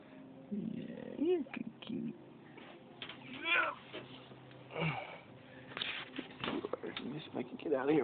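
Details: Buddy, a domestic cat, outside a door, meowing at another cat before wanting to visit; several short rising-falling meows mixed with a person talking close by, plus rubbing and handling noises.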